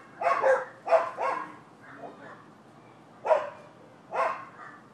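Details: Neighboring dogs in Florida bark on 12/7/15: quick doubled barks in clusters, two pairs close together early on and two more spaced barks later, against a low steady background hum.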